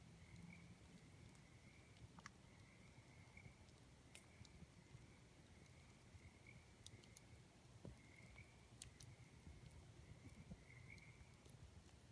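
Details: Night chorus of tree frogs heard next to a campfire. A high, buzzy trill pulses in stretches of a second or two, over a deep rumbling backdrop with scattered pops and crackles from the flames.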